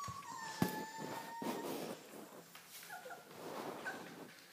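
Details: Dogo Argentino puppies whimpering: a thin, high whine that slides gently downward over the first second, then brief softer squeaks later, with faint shuffling and scattered clicks behind.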